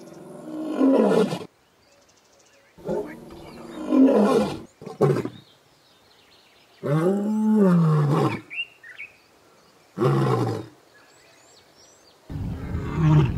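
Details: Lion in the African bush roaring in a series of loud, hoarse bursts separated by short silences. One deep, arched moaning roar comes in the middle. Brief bird chirps are heard between the bursts.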